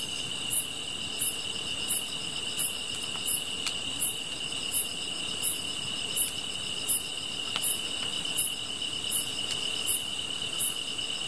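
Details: Grass insects calling beside a campfire: a steady, shrill high-pitched ringing drone with sharp, very high chirps repeating about every 0.7 seconds, plus occasional faint crackles from the fire.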